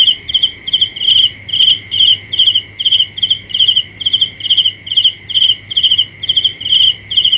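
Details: Sharp, high cricket chirps, each made of a few fast pulses, repeat about twice a second in an even rhythm against a continuous high, whining drone.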